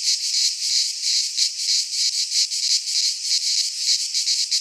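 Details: Cicadas singing in midsummer in a Greek pine forest: a dense, shrill buzzing chorus held high in pitch, pulsing in rapid swells about three times per second, with no other sounds.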